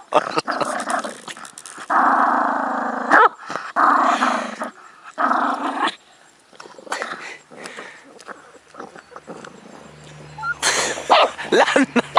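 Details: A pet dog going wild after being given a bone, with long harmonic growls in bursts of about a second, separated by pauses; shuffling and handling noises in between.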